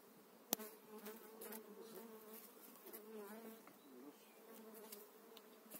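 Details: Honey bees in spring being moved from eight frames bought during the spring months into a beekeeper's own hive, a steady droning hum with layered low tones, broken by sharp clicks and knocks.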